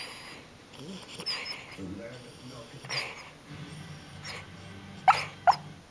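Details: A small male Corgi, asleep and apparently dreaming, gives two short, high, squeaky yips over quiet background television chatter.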